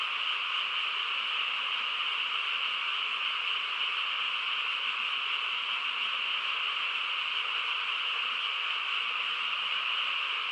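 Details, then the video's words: A chorus of many frogs on a still rural night blends into one continuous, even trill-like hum, with no pauses and no separate calls, and nothing else audible above it. "개구리 합창 소리"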